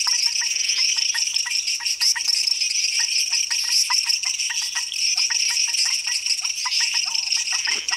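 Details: Costa Rican night chorus of frogs, dense overlapping clicks and tapping notes repeated rapidly and unevenly, layered over a continuous high-pitched shimmering drone.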